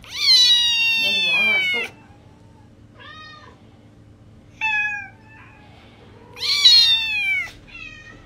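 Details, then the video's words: Two kittens meowing indoors: a long, high meow sliding downward at the start, shorter fainter mews in the middle, then another loud drawn-out meow near the end, with quiet pauses between. "Two kittens meowing"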